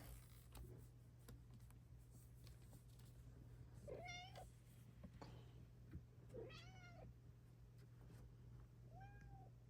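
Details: Morning meows from Luna, a pet Bengal cat indoors: three short, clear meows spaced about two to three seconds apart, each bending upward then falling, over a steady low household hum and faint rustling.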